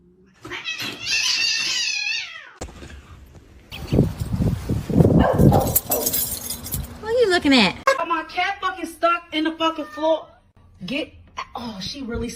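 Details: A kitten gives a high, wavering meow, followed by people talking loudly indoors.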